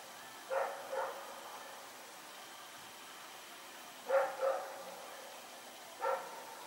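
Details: Dog named Rex barking at night as he runs around, recorded September 21, 2018; barks come in short doubles, a pair, another pair, then a single bark, with steady low hiss between.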